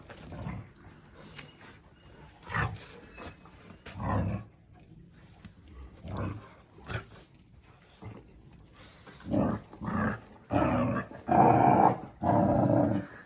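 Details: Oscar, a Jack Russell Terrier, gives rough growling bursts: broad low rumbles that come in irregular clusters about every second or two and grow louder and denser toward the end, with quiet gaps and faint background noise between them.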